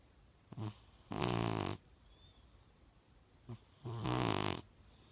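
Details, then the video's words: Young blue British Shorthair cat named Snubby snoring at rest: two loud, raspy, rumbling snores with rich harmonics, about three seconds apart, each lasting over half a second and preceded by a short soft intake. "British Shorthair Blue. Snoring."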